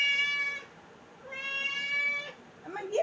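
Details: Pet cat meowing twice indoors, each call a clear, sustained, level tone, with a short pause between them, then a woman's voice speaking Tamil to it about food.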